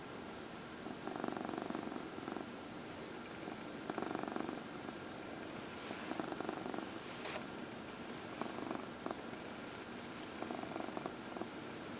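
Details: Purring from a massaged house cat, one of four, among them elderly Heidi and Dinah adopted from the Humane Society of New York City; rhythmic rumbling pulses roughly every two seconds, with a few faint clicks and rustles.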